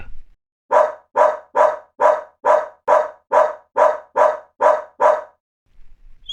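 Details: Dog barking in a steady run of eleven short, sharp barks, about two each second, evenly spaced and of equal strength, then silence with a faint sound at the end.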